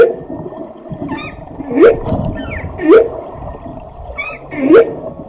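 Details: Whale giving three rising, upswept whoops roughly a second apart, each a short bright tone climbing in pitch, over a steady low rumbling underwater noise.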